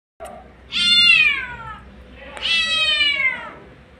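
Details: Mother street cat calling for her kittens: two long, loud, harmonic-rich meows, each starting high and sliding downward, about a second and a half apart, over a faint background hum.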